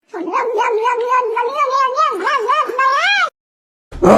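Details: Domestic cat giving a long, drawn-out caterwaul lasting about three seconds, its pitch wavering and warbling up and down in a rich, harmonic yowl, followed by a short silence and a burst of harsh noise.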